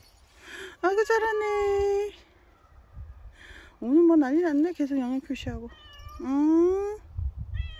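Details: A very dog-like pet cat named Bobae meows at length indoors: a long flat wail, then wavering yowling meows, and a rising drawn-out cry, several calls in under eight seconds with a voice talking between them.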